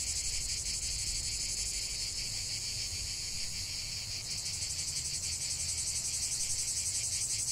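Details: Natural cicada chorus: a high, hissing, rapidly pulsed buzz holding steady, with a slight shift in texture midway and soft low-pitched background noise.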